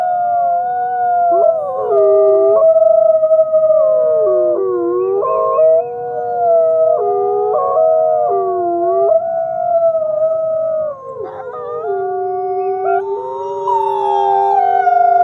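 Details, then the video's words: At sunrise at the Wolf Conservation Center, South Salem, New York, captive-born gray wolf Nikai howls. Several sustained howling voices overlap at different pitches, jumping up and down between held notes, forming a continuous layered chorus. "Nikai Howls to the Rising Sun"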